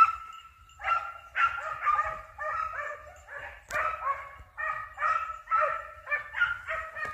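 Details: Hunting dog in Italy baying while on a hare hunt, having flushed the hare: a series of high, yelping barks roughly every half second with whining, rising tone, some overlap of voices.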